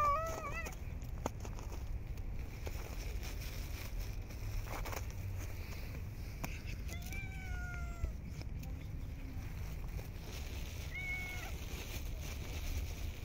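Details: Street cats being fed outdoors in cold, snowy winter weather; a short meow near the start and two drawn-out harmonic meows around seven and eleven seconds, over steady low rumbling background noise.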